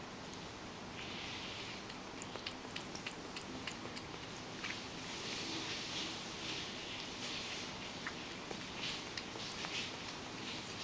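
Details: Ragdoll cat indoors drinking its favourite lactose-free goat milk, with soft, fast, irregular wet lapping clicks, roughly three per second, over a steady hiss of room noise.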